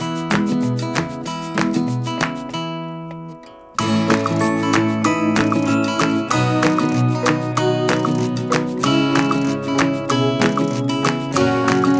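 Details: Strummed and plucked acoustic guitar music with a brief pause near four seconds and faint speech, with no animal sound.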